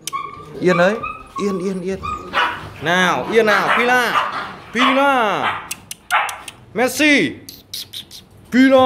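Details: A pack of Rottweiler dogs, shown after being given playful makeup, lets out short arched barks and yelps in quick bursts with pauses, each rising then falling in pitch, with human voices mixed in.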